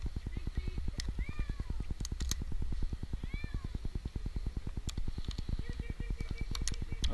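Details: Jinx, an eight-month-old kitten stranded for two nights in a tree in Newark, Ohio, meows during his rescue. A few short arched meows come through a steady, rapid low thumping pulse, with a man calling reassurances.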